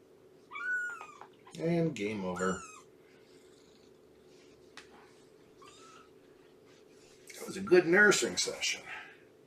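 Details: Indoor morning visit with Shelby, an estimated two-year-old female cat at Purrfect Pals: short, rising meows come between bursts of close human speech, over a faint background hum.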